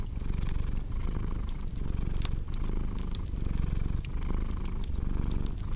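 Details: Low, continuous cat purr, dense and rumbling, pulsing in breath cycles a little under a second apart. A cozy fireplace crackles and snaps in the background with scattered bright pops.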